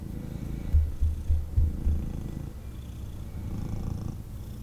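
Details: Purring male kitten being cuddled by its owner, heard as a low rumble with a few stronger throbbing pulses early on, then a softer, quieter purr.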